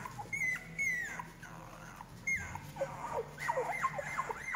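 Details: Young female English Cocker Spaniel puppies, August 2022, giving thin high whines and falling yelps, some drawn out and some clipped short, with several pups crying together toward the end.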